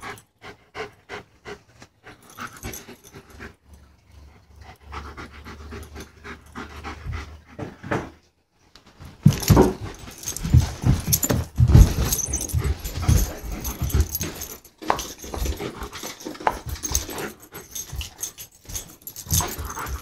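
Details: German Shepherd at play, panting. A run of soft, evenly spaced short breaths comes first. After a brief pause, heavier, rougher panting follows in quick bursts with scuffling, and a person speaks just afterwards.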